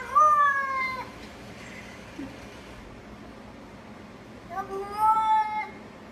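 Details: Cat from a compilation about cats falling into water, giving two long, wavering harmonic meows, one at the start and one after a pause of about four seconds, while a woman speaks soothingly.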